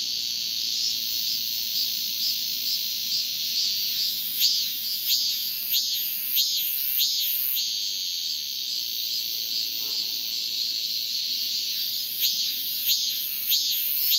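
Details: Cicada; calling song; male calling to attract a female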